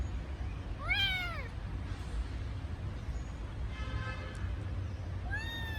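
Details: ['Lonely kitten crying for its mother: one clear arched meow, a fainter cry in the middle, and a rising meow at the end, with a low hum underneath.']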